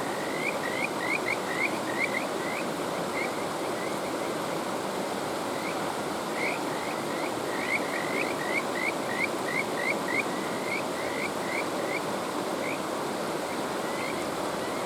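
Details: Kajika frog calling over the steady rush of a mountain stream: bursts of short, rising, whistle-like notes in quick runs, pausing and resuming, with water noise filling the background throughout.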